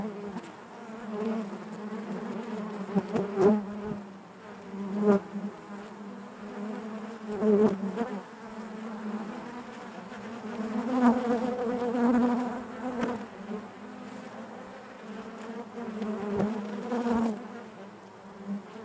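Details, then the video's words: Steady collective drone of honey bees in the hive, a deep buzzing hum overlaid by passing bees that bring short, sharper surges every few seconds across the recording. "bees therapy hive natural buzzing sound"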